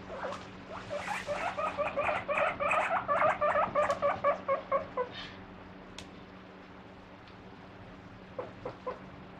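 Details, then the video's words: Pet guinea pig squeaking as it comes out when the fridge door opens, begging for the vegetables kept inside; a fast run of loud, rising squeaks repeated about twice a second, then fading to a few soft peeps. "【鳴き声】冷蔵庫のドア開けるとプイプイ出てくるモルモット PUI PUI Guinea Pig"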